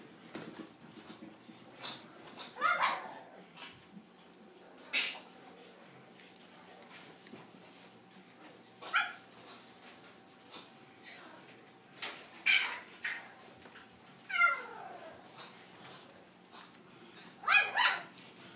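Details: French Bulldog siblings, growing up, giving scattered short barks and yips separated by quiet gaps, some sharp and high, some sliding downward, over a low steady indoor hum.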